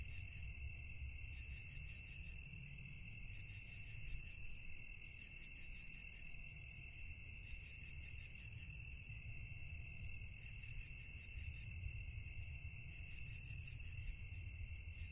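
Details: Crickets chirping at night in a calm, quiet setting: steady layered high-pitched trilling that never pauses, with brief higher buzzy bursts roughly every two seconds near the middle, over a low rumbling background.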